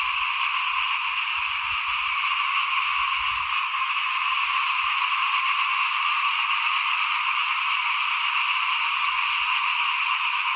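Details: A chorus of small frogs outside a house while rice is being sown in 2021, a continuous shimmering wall of overlapping calls holding a steady pitch, with soft low rumbles early on.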